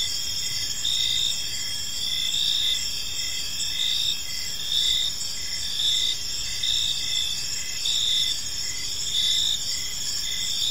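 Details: Park crickets at evening, many insects trilling together in a high unbroken band while louder pulsed chirps recur about once per second.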